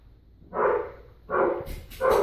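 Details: Lucy, a one-year-old female Schnauzer mix awaiting adoption at a shelter, barks after being told to sit: three short, full barks spaced roughly three-quarters of a second apart, with faint room noise between them.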